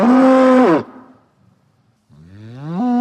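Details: Powerful bellow from a bull, a rich steady moan falling away abruptly, then a short quiet gap before a lower call that swells and rises in pitch into another loud bellow.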